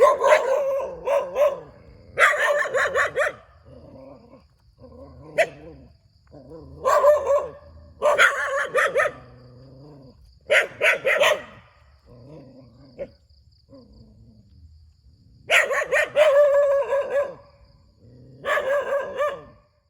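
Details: Barking dog beside a rubber plantation, Thailand: repeated clusters of loud, hoarse barks every few seconds, separated by quieter short yips and brief gaps, over nearly twenty seconds.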